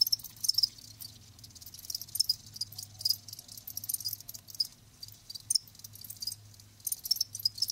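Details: Scattered high crickets' chirps in small groups, softer and less regular, with a faint low steady hum running beneath for most of the recording.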